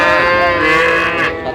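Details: Bull calf of the Sahiwal breed at a busy market in Tangail, Bangladesh, 30 December 2025, giving a loud, continuous moo with dense harmonics that wavers slightly and tails off, amid background market chatter.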